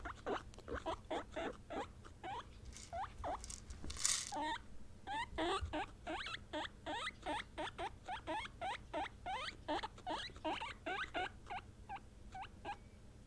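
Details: Domestic guinea pigs, three females of Peruvian, English and Teddy types, calling when they notice something; rapid, steady stream of short upward-sweeping squeaks, around three a second, with one brief louder burst midway.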